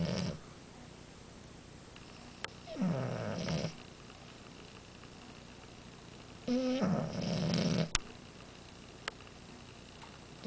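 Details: Amora, a French Bulldog, snoring: two long, rasping, low-pitched breaths about four seconds apart, each a buzzy, vibrating snore with a slight rising whine, separated by quiet stretches.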